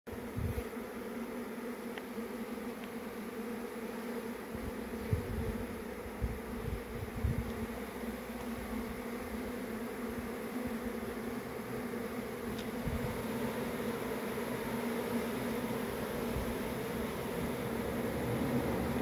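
A honey bee swarm fills the air with a dense, steady, low hum of countless wingbeats.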